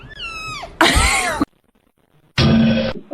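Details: A cat makes a single falling, tonal meow, then two harsh, noisy bursts with a short silence between them.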